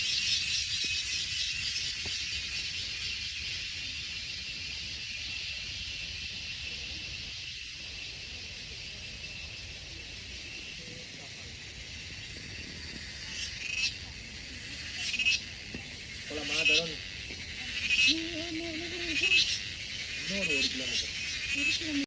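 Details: A grasshopper's loud, steady, high-pitched buzzing fills the dense forest of the Wayanad hills without a break.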